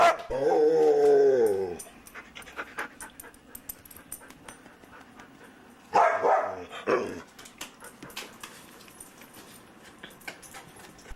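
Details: Luca, a very talkative foster dog, gives a long harmonic whine lasting nearly two seconds, then falls quiet before a second, shorter burst of vocal noise around the sixth second, with faint indoor background sounds.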